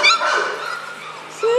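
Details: Brief high yips and a thin whine from happy four-week-old male puppies, the sound fading midway before a short, sharp squeak at the end.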